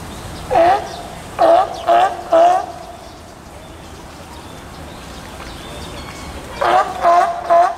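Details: Captive California sea lion at Osaka's Tennoji Zoo during nursing of a two-week-old pup, 5 July 2014. A run of four harmonic bleats, a long pause, then three more. Soft visitor chatter hums underneath.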